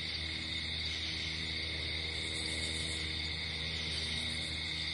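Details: Night-time crickets outdoors give an unbroken, high-pitched trilling drone, several layered tones held evenly throughout, over a soft low background hum.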